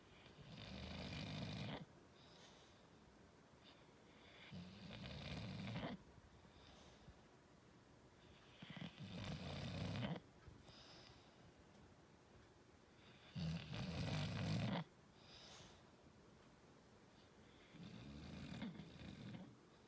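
An English Bulldog snores in loud, rumbling bursts roughly every four seconds.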